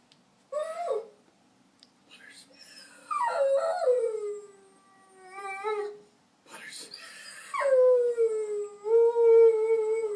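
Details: Pet puppy 'singing' in a series of howls: wavering, sliding tones that rise and fall in several separate phrases, ending in a long, steady, drawn-out note, with short quiet gaps between them.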